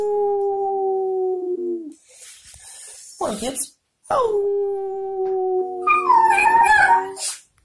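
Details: Family dog howling at home, sustained level tonal howls broken by a brief yelping dip, then a rising onset into a long steady note ending in a louder wavering outburst.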